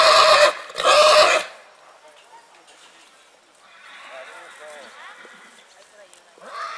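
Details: Purebred horse in springtime giving two loud, harsh, harmonic whinny bursts in the first second and a half, followed by quieter rustling and soft chattering, and a rising call starting again at the close.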